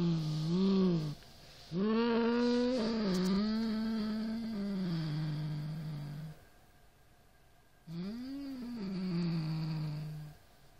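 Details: Siamese cat, a pet indoors, growling at a rat toy: low drawn-out yowling growls with rising and falling pitch, three long bouts broken by short silent gaps.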